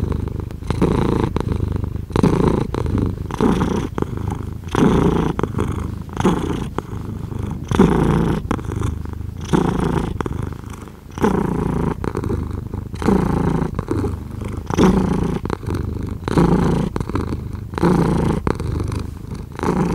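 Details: Continuous cat purr, deep and throbbing, rising and falling with each breath in an even rhythm; nothing else audible beyond the close rumble.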